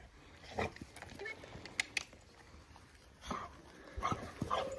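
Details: Eight-week-old Labrador puppy Toffee meets Fudge, a 4-year-old chocolate Labrador, for the first time indoors. Short scattered yips and soft bursts, ending in a brief high whine, with household noise between.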